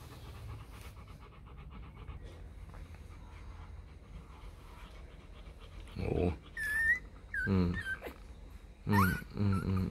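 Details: Four-day-old Rottweiler puppies from the litter of Vietnamese champion Loki Gervi and Faye: after quiet shuffling, a run of short high squeals rises and falls, mixed with lower harmonic grunts, in bursts over the last few seconds.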